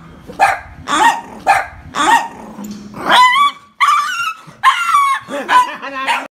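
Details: Toy poodles reacting fearfully to a pig with rough barks, then shifting into higher, whining yelps and yips that rise and bend in pitch, sounds overlapping closely toward the end.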